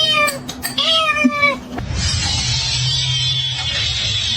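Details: Kitten meowing and crying: about three clear, slightly falling meows with strong harmonics in the first second and a half, followed by steady hissing noise and low hum.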